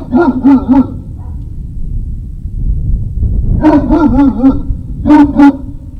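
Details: Great Dane puppies barking at Puppy Hill on 3 May 2019, shortly after 17:00. Rapid runs of three to four ringing, high yappy barks come in clusters, with a brief rumbling pause in the middle and a loud final pair.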